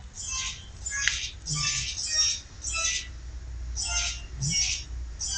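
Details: Kittens with their mother still nearby, recorded 12 September 2012 indoors: a quick run of high, breathy cries, roughly eight in five seconds, with a faint low hum beneath.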